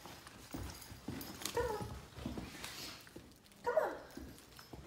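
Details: Husky puppy giving two brief high whimpering whines, one near the start and another toward the end, separated by soft thumps, rustles and handling noises.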